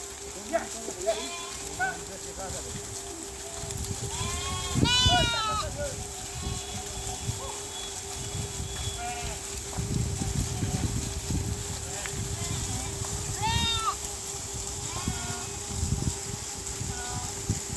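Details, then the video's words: Domestic sheep of a flock grazing in a dry riverbed near a village: two wavering, harmonic bleats, one strong burst near the middle and another later, over a steady low hum, faint rustling and scattered fainter calls. "Sheep sound | sheep voice | sheep flock"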